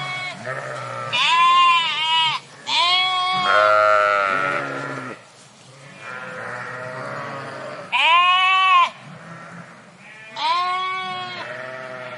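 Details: Flock of sheep in a park bleating, several animals overlapping; long wavering harmonic bleats, some high and strained, some lower, in bursts every few seconds with quieter calls between.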